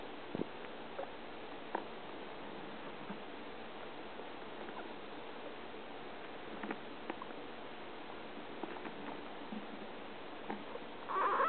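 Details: Male pet guinea pig named Fluffy, caged with a male cage mate, eating and making strange sounds heard off and on day and night: scattered soft clicks and chewing taps, closing with a brief rising squeal over steady background hiss.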